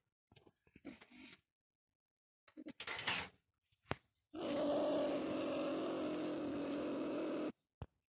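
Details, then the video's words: Marten trapped in a live trap set with live bait, starting with a few brief rattles and clicks, then a sustained harsh, buzzing growl lasting about three seconds before it cuts off abruptly. "Куница попалась"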